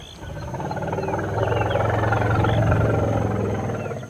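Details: In a playback experiment, a young male African elephant turns toward a speaker playing an unfamiliar female's call and answers with a deep, throbbing rumble, a strong reaction, then approaches the speaker.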